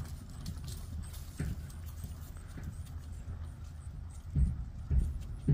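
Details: Friesian mare being ridden, her hooves striking the ground in low, dull thuds, with a few sharper knocks near the end over a steady low rumble.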